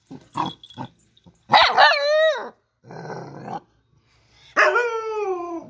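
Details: Dog voicing a few short soft barks, then a drawn-out wavering howl that slides downward, a gruff noisy bark, and another long falling, quavering howl; no other sounds.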